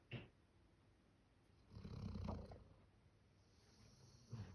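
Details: Male Labrador Retriever, born October 2019, snoring like a human: a quiet, low, raspy snore swelling in the middle, with short snorts at the start and end, in a small indoor room.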